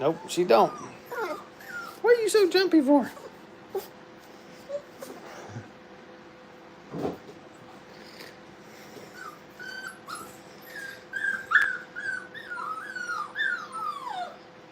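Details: Brittany puppies at playtime in a training kennel, indoors: high, thin whines that curve up and down in quick runs near the end, with sharper yips and a human voice in the first seconds.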